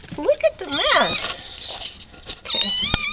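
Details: Maud'dib, a domestic cat waiting to be fed, gives rising-and-falling meows mixed with a person talking close by, ending in a bright high whine and a sharp click.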